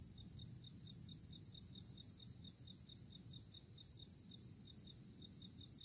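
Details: Early April crickets in chorus: an unbroken high-pitched trill alongside fast chirps repeated about four times a second, with a faint low background rumble.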